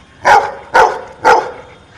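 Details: Asked six minus three, a dog replies with three clear, evenly spaced barks half a second apart against a quiet background.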